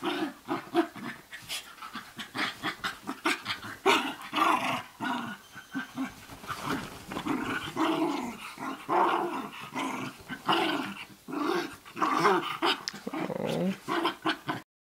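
A Basenji vocalizes almost without pause, mixing warbling, yodel-like whines that bend up and down with gruff, throaty growls. The sounds come in quick, uneven bursts with brief panting breaths between them.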